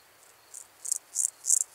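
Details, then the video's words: Meadow grasshopper in Elsbethen, Austria, 27 July 2019: a brief run of rapid, dry high-pitched chirps growing steadily louder, about four pulses per second. "Pseudochorthippus parallelus -- Gemeiner Grashüpfer -- Meadow Grasshopper"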